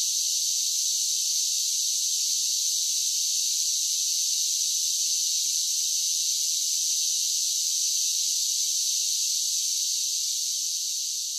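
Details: Singing cicadas on a summer day, their high, even electric hiss running unbroken and fading only slightly in the final second.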